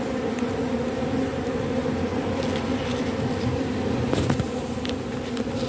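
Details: Buzzing of a robber bee collecting propolis from matchsticks, an even, continuous droning hum with a couple of faint clicks and a brief rustle about four seconds in.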